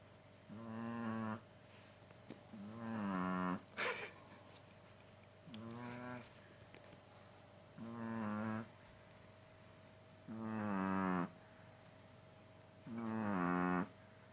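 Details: Caesar, a pet Chihuahua, sleeping and snoring: rhythmic nasal snores about every two and a half seconds, each a drawn-out, slightly whiny, rising-then-falling wheeze, with a low steady hum behind.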